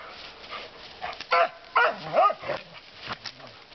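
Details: In the woods, Lucy the dog, who likes to bark a lot, fires three quick barks in a cluster, followed by a softer yelp. Low murmuring and rustling sit underneath.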